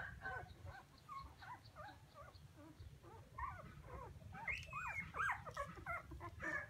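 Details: Puppies crying as if calling for their mother: faint, high whimpers and squeaky yelps, growing louder and more rising toward the end, over a steady low hum.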